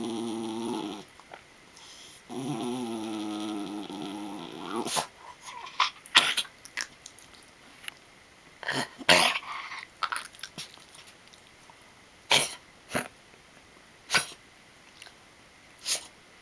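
A miniature schnauzer gives low, wavering growls that break off into sharp snorting, choking sounds.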